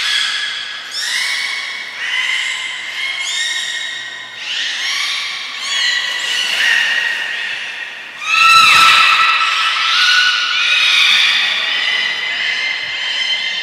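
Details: Belugas in training at Port of Nagoya Public Aquarium, August 2023, with Gray, Nana and Mirai present: layered, buzzy harmonic squeals rise and fall in repeated phrases, with a louder, brighter burst of calls midway.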